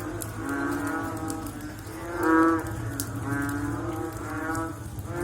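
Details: Following rain, one loud, deep, nasal frog call swells near the middle, framed by a continuous murmur of softer overlapping calls and faint ticking sounds.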